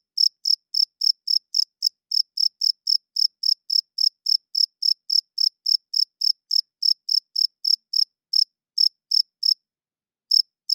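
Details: Night-time cricket chirping, loud and shrill, a rapid even train of short high chirps roughly four per second, growing sparser with gaps toward the end; nothing else audible.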